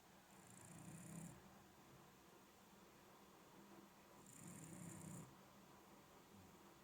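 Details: Shiba Inu, ageing, asleep and snoring indoors: rough low snores paired with a breathy hiss, recurring roughly every three to four seconds, with near silence between.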